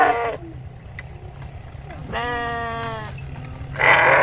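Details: Sheep bleats: a brief call at the start, a clear steady harmonic bleat in the middle, and another loud bleat at the end over low background rumble.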